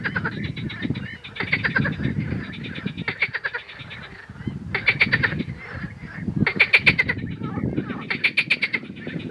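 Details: Male marsh frog (Pelophylax ridibundus) in Romania, singing with grey vocal sacs inflating. It gives loud, rapid, rattling pulse trains, each burst lasting one to two seconds and repeated about every two seconds, over a low murmuring chorus of other frogs.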